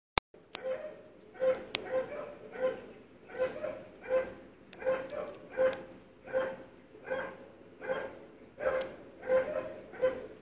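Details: Dogs barking on a morning of 17 February 2012, heard through sealed windows and doors; steady repeated barks roughly every 0.7 seconds, with a few sharp metallic clanks near the start.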